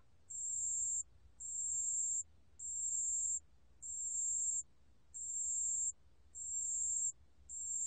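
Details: A pale bell cricket sings a regular series of high, thin, tinkling trills, about fifty per minute, each near 0.8 seconds long, over a quiet background. Recorded in 2020 by a national biological resources institute.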